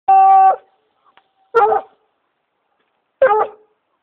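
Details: Redbone Coonhound (Canis lupus familiaris), baying: hunting, leading the owner to a tree.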